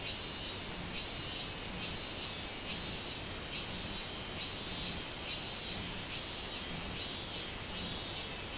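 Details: Summer minmin cicada, recorded 24 July 2016, giving rhythmic rising-and-falling buzzy notes a little faster than one per second, with a continuous high-pitched insect drone behind.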